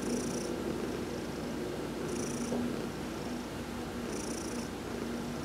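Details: Heidi, a cat massaged during a sun bath on November 19, 2020, gives a low, continuous purr, with brief high hissing bursts about every two seconds.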